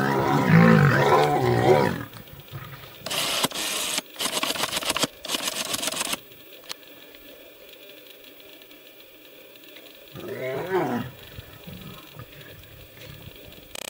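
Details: Lioness defending her cubs against nomadic male lions: a loud, harsh, growling roar fills the first two seconds, followed by several bursts of broadband rasping noise and, near the tenth second, a shorter rough snarl.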